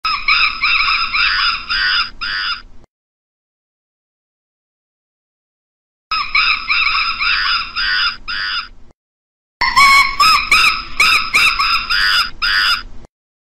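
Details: Monkeys calling in loud, shrill, harmonic screeches and chatters, delivered in bursts of about three seconds broken by abrupt silent gaps, with rapidly wavering notes repeated several times per second.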